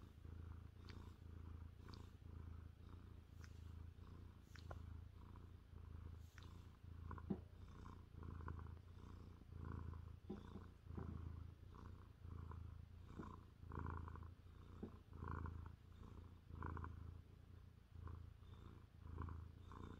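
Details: Jaguar, a 30-pound male Maine Coon, purrs on his owner's lap on a chilly evening while his fuzzy ears are rubbed, microphone between his paws; deep, steady rumbling purr pulsing with each breath, about forty cycles a minute.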